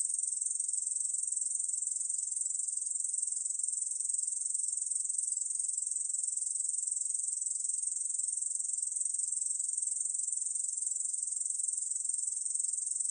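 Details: A Korean bush cricket's song: a steady, sizzling, high trill running on without interruption, even in loudness throughout. Background is silent.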